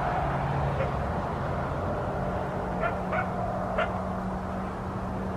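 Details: Coyote vocalizing near a house in southern Arizona at about 5 am on Christmas morning: scattered brief high yips, a few close together near the end, faint against constant low background hum.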